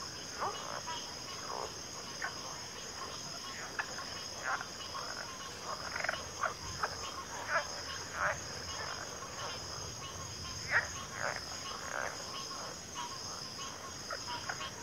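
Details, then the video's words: Frog chorus: irregular bursts of short croaking notes from several callers, busiest in the middle, with a steady insect drone throughout. "Frog Chorus"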